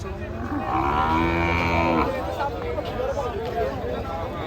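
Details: Cattle getting off a truck and acting unruly: one loud, drawn-out moo lasting over a second, followed by a droning engine and murmuring people.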